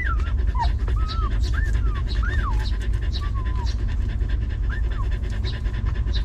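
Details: Sheltered stray mother dog and her litter of puppies: repeated breathy pants throughout, interwoven with a run of high, arching whimpers and squeals in the first half and one more near the end, steady low hum behind.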